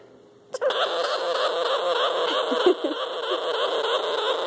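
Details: Two young, newly acquired sugar gliders in a pouch, being petted through it to calm them, are crabbing: a harsh, continuous buzzing chatter made when scared, unsure or feeling threatened.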